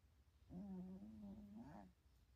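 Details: A cat napping at home, asleep and dreaming, gives one drawn-out, humming snore lasting about a second and a half. It holds a low, steady pitch and rises briefly at the end, in a quiet room.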